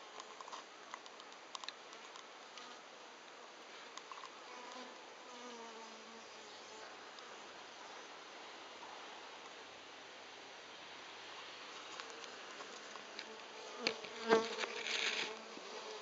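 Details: Japanese honey bees giving a steady, low buzzing hum, with tones that drift and waver in pitch and a few sharp taps and clicks near the end.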